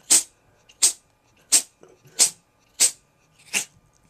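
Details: Cat named Sammy sneezing hard: six sharp breathy hissing bursts spaced about two-thirds of a second apart, each brief and bright, with quiet sniffles between them.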